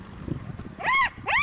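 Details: Two shrill, arching screams, each rising then falling in pitch, from a spotted hyena cub injured and brutalized by an adult hyena trying to take over, on a live African bush cam around 5:30 in the morning.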